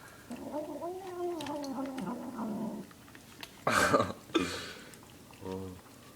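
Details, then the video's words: Domestic cat, male, vocalizing while he eats his food: a long wavering harmonic moan, then loud crunching bursts and a short buzzy sound near the end. "Funny cat making weird noises while he eats his food"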